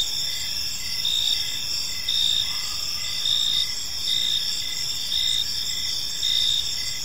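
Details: Several crickets calling in a park at dusk, continuous shrill trilling with regular pulsed chirps close to once a second, plus low background rumble.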